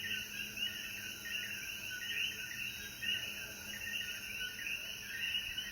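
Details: Chorus of coquíes after rain at sunset in the Jayuya mountains, Puerto Rico; countless brief chirps overlap into a continuous pulsing mid-high band, with a constant shrill insect drone above.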